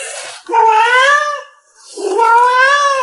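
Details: Pet domestic cat meowing while its owner chats with it: two drawn-out, slightly rising meows of about a second each, separated by a short silent gap.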